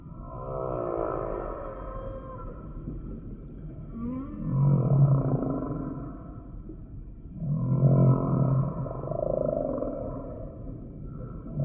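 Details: Humpback whale singing: wavering low moans and a rising swoop, swelling into louder groaning phrases roughly every three seconds against deep background rumble.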